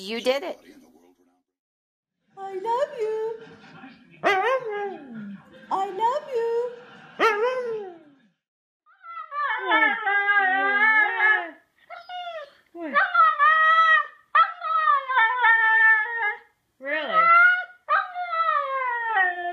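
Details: Huskies singing and talking with 'woo woo' sounds: a long run of short, wavering, yodel-like harmonic calls in bursts with brief gaps. Some rise and fall, others bend sharply, roughly two to three calls a second.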